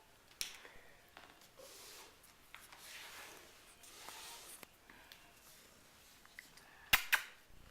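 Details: Quiet indoor room noise with soft rustling, scattered clicks and one sharp snapping crack near the end.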